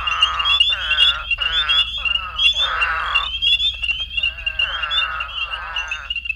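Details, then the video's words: An eastern spadefoot from extreme southern Illinois, a burrower of sandy soils breeding March to September after heavy rains, repeats explosive nasal grunts about every second, a call attracting others from at least half a mile. "Its call can attract other spadefoots from at least one-half mile away and sounds something like an explosive nasal grunt."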